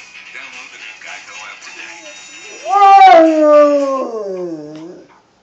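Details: A Rottweiler sleeping on a couch howls at a pig in a TV commercial, a long, rising then slowly falling howl over the television's voices and music.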